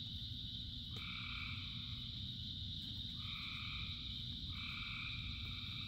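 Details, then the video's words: A frog chorus of thousands, singing during rain. Three prolonged two-pitched calls start about every one and a half seconds over a persistent shrill background drone and the low, steady patter of rain. "Frogs in Rain 2 Hours of Frogs, Thousands of Frogs Singing"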